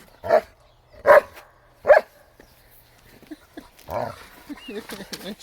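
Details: German Shepherd named Bear attacking a chair in the snow: three loud, deep barks spaced under a second apart, followed by a person talking excitedly and softer yips.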